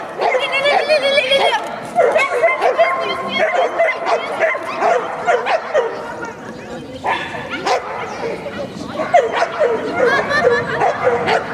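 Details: Thai Ridgeback Taya, aged two and a half, at an agility competition at KC Yasenevo on 14 May 2017, running a clean course and placing fifth of 17 dogs: rapid, uneven high barks and yips mixed with people talking.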